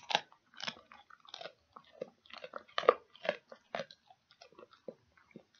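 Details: Dog gnawing on a pig ear: steady, moist crunching bites about twice a second, each a short crackly burst, with one sharper snap near the middle and softer clicks toward the end.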